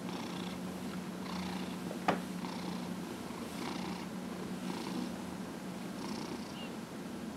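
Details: Pet cat Dillard, aged 15-1/2, purring as he is massaged on January 31, 2018; a constant deep hum with a sharp click near the two-second mark and gentle rhythmic rubbing noises.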